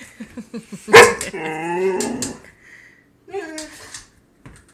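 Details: Playful female Boxer dog reacting to her owner's knuckles. A quick string of soft yips leads into one loud sharp bark, followed by a long wavering whine-like howl and a shorter trailing whine.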